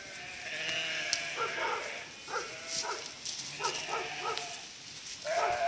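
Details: Border collie herding 1000 sheep across a narrow river crossing; several sheep bleat in short, quavering calls roughly every half second, ending in one louder drawn-out bleat over steady rushing noise.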